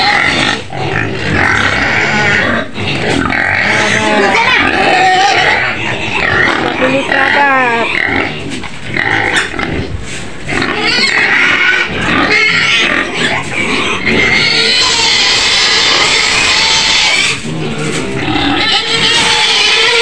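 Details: Outskirts of Medan, Indonesia, where a white pig shrieks repeatedly inside its pen. Grating, broadband squeals come in uneven bursts, louder and shriller in the second half, with human voices mixed in.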